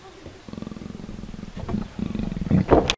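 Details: A Persian leopard, an inhabitant of subalpine meadows, forests and rocky thickets, gives a low rasping call of rapid pulses, rising into louder, harsher grunting bursts toward the end.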